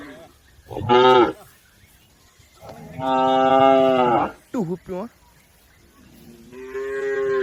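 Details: Cattle from a herd moving across a river toward their pen. A short moo is followed by a longer steady bellow of over a second, then two quick clipped calls and a rising, drawn-out moo at the end.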